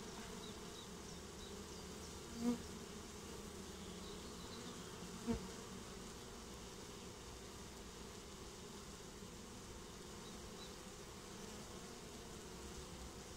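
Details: Honeybees swarming as they take up a new home, a quieter continuous hum with faint tonal bands, interrupted by two sharp clicks a few seconds apart.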